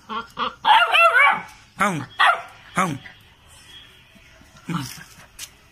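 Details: Pet Labrador puppy barks in a quick run of about six sharp, pitch-bending barks spaced under a second apart, with a person's voice mixed in and a quieter pause before a last bark.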